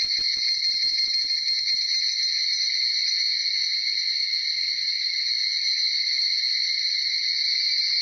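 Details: Many Tanna japonensis cicadas (higurashi) calling at dawn, shortly after 4:30, in Uda city, Nara Prefecture, Japan; an unbroken, shimmering high buzz holds level throughout, with a few soft low taps at the start.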